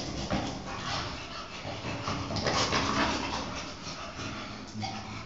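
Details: Two dogs, an English Bulldog and a Chow Chow, play-fighting together as friends; low rumbling growls with a steady harmonic buzz run through the clip, broken by soft snorts and scuffling noise.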